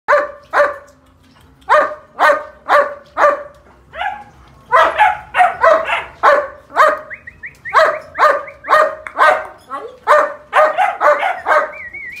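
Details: German Shepherds at a purebred kennel barking in fast, uneven bursts of sharp, loud barks, roughly two per second, with brief pauses and a couple of high, wavering whistle-like tones between barks.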